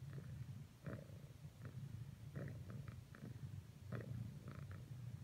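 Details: A female cat purring as she keeps trying to cuddle with another cat after earlier failed attempts; a steady, low, rumbling purr fills the clip, broken by faint soft clicks and rustles.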